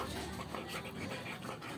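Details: Quick, steady breathy panting from Coco, a Belgian Malinois, a continuous rush of soft airy puffs with no other clear sounds.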